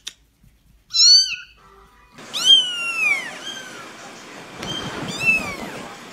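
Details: High, thin kitten meows in quick succession, sharply arched and falling, several overlapping as more than one kitten calls, with faint rustling between cries.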